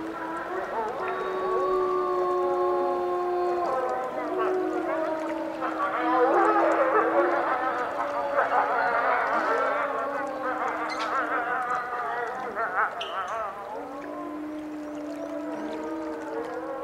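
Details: Wolf chorus: many overlapping howls rise, fall and waver for over fifteen seconds, some voices sliding and breaking, with a dense steady rush of sound beneath.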